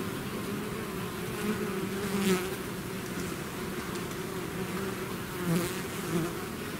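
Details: Swarming bees out of their hive make a continuous layered hum, individual bees droning past close by at roughly two and five and a half seconds, steady throughout.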